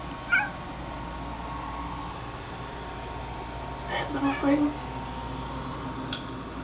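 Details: Domestic cat named Mo chattering indoors at a bug on the ceiling: one brief high chirp early on, then a tight cluster of short chirping calls a few seconds later, overlapping human speech over a steady room hum.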